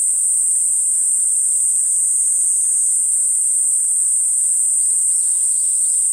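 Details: Continuous shrill, hissing buzz of Platypleura kuroiwae, a cicada, holding one high pitch without a break, with faint chirps appearing near the end.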